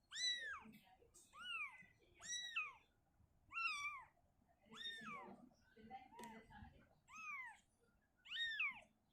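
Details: Shizuka, a house cat uncomfortable in a cabinet, carries her kitten back to an open area. Eight arched, high-pitched meows repeat roughly once a second, with faint low rustling and a brief knock between them.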